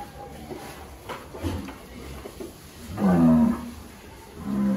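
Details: Qurban sacrificial cattle in a farm pen at Nganjuk, among a herd of 300 head. A low, harmonic moo swells near the third second and lasts about half a second, then a shorter moo closes the clip over murmuring voices and pen noise.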